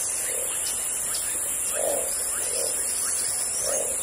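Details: Amazon jungle frogs calling: four muffled low notes at uneven spacing over four seconds, set against a constant high insect whine and light chirping in the background.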